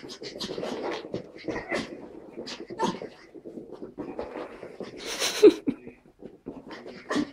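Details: Pug puppy Tilda and Chihuahua puppy Roz at play in a small room, heard as quick panting, snuffling grunts and short squeaky whimpers in an uneven run, one brief louder yelp near the end.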